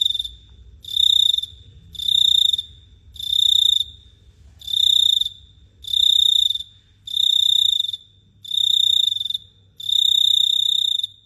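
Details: Night-time cricket at Phteah Prey giving steady, piercing, high-pitched buzzy chirps, eight bursts in about eleven seconds, each under a second with short pauses between, with a quiet low rumble behind.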